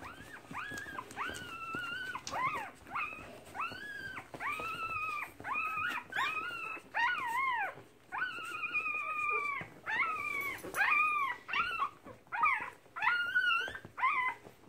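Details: Nursing Keeshond, March 2017: a steady series of high, arched whining cries with a rise-and-fall contour, each under a second long and repeated almost without pause in an indoor room.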